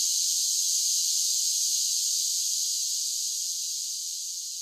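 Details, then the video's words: A steady, shrill insect drone from singing summer cicadas, constant at first then tapering a little softer toward the end, with no other sounds present. "10 Hours of Cicada Sounds for Relaxation with Soothing Summer Nature Sounds"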